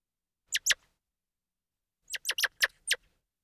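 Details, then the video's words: Squirrel monkey calling: a quick pair of shrill squeaky chirps, a pause of over a second, then a rapid run of five loud high peeps. "Squirrel Monkey Sound"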